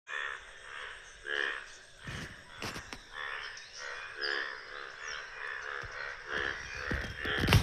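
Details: On a village morning, many frogs croak in a chorus of repeated pulsed bursts with a person speaking nearby; the frogs fall silent when they hear people talking.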